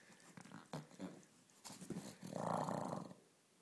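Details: Ulisse the pug growls during play, short grunting snorts first, then a sustained rough growl for about a second before fading.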